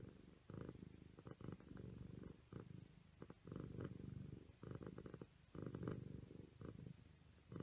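A Siamese cat purrs in a low, rumbling, pulsing drone that swells and fades in uneven bursts.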